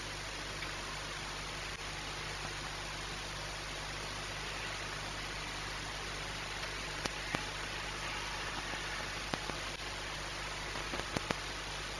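Steady broadband hiss with a low hum and a few faint clicks, no animal voice.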